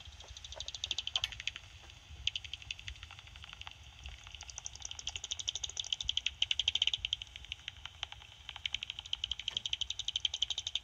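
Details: Two soprano pipistrelles picked up at night on a bat detector that auto-tunes to their frequency: rapid dry ticking pulses, about four per second, sometimes running into fast buzzy bursts.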